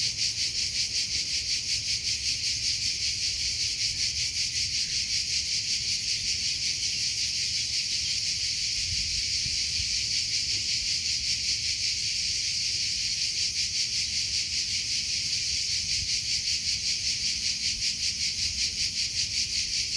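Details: Continuous high-pitched cricket chirping outdoors, a shrill buzzing band that throbs in even pulses roughly every 0.4 seconds; faint low rustle beneath, no other animals.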